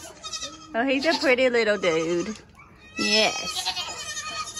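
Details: Baby goats born in the 2022 kidding season bleating loudly, a long shaky wavering cry lasting over a second, a short gap, then a sharper high bleat with fainter calls after.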